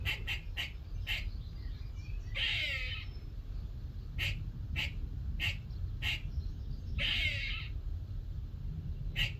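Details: Morning visit from a squirrel in a workshop, chattering: quick sharp chips in short bursts, broken by two coarse buzzy rasps, each under a second long, against steady low background hum.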